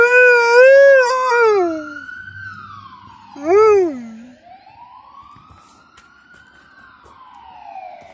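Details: Female Alaskan Malamute Suzi answers an ambulance with two wavering howls, the second short and bending upward, before falling quiet while the siren's slow rising and falling wail carries on alone for several seconds.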